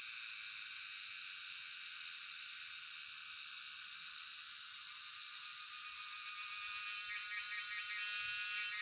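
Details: Jhyaukiri cicada chorus from Shivapuri National Park, Tarkeshwor, captured by cellphone: an unbroken shrill, hissing drone holding a piercing high tone, with faint stuttering pulses appearing near the end.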